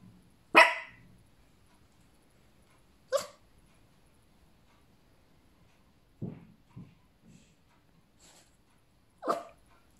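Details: Fifteen-week-old female Cavapoo puppy barking in single bright yaps spaced a few seconds apart, with a few softer, lower grunting barks in the middle and quiet moments between.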